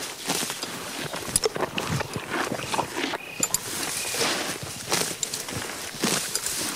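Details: Horse feeding on grass, close crunchy tearing and munching noises in quick irregular bursts, with a brief quieter pause midway before the chewing resumes.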